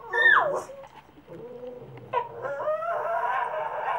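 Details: A male Cavalier King Charles Spaniel/Papillon mix, on his first time sort of howling, gives a falling yelp, then a thin, wavering, rising howl.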